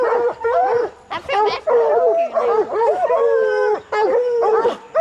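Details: Bluetick and black and tan coonhounds in training to hunt raccoons, a pack baying and bawling together in overlapping, continuous, wavering drawn-out howls and yips.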